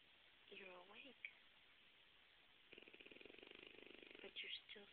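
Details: Otto, a pet French Bulldog who snores constantly, even while awake, indoors. A brief human voice comes first, then a burst of rapid, regular rasping snore pulses lasting about a second and a half, followed by a few short squeaky sounds.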